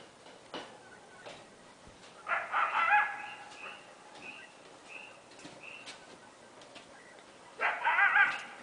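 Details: At night in Northern California in July 2008, during the Camp Fire, an animal the recordist thinks was a coyote gives two harsh, raspy barks several seconds apart, with faint higher notes between.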